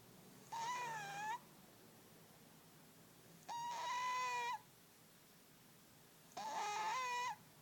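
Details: Sleeping overweight male cat giving a loud snore: three sustained, reedy whistling tones, each near one second and fairly level in pitch, spaced about three seconds apart, against a low, steady background hiss.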